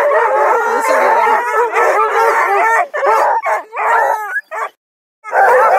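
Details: About two dozen hounds at a breeder's kennel near Kingston, Ontario (Bluetick and Redbone Coonhounds, Black and Tans, beagle mixes) bay and bark together in a dense, overlapping chorus of drawn-out howls.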